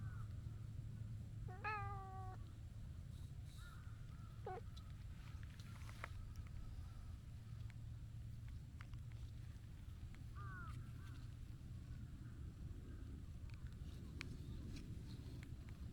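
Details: Rough-voiced stray tabby cat, too impatient to wait its turn to be petted beside a gentle orange-and-white cat. It gives a drawn-out meow that rises then holds steady, then a short meow, and later a bent, brief meow over a steady low rumble.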